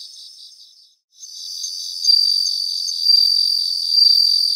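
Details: Bell crickets in a Japanese grassland: a high pulsed ringing breaks off into a brief silence, then resumes and builds into loud, bright overlapping trills.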